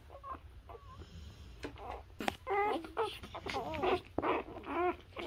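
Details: Newborn Labrador Retriever puppies nursing on their mother: after a quiet start, a busy run of short, high, wavering squeaks and whimpers crowds the second half, overlapping one another amid soft rustling and snuffling.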